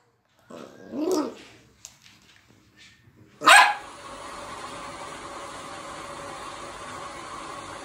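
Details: A small Maltese dog watching YouTube gives a low grumble, then one sharp, high bark.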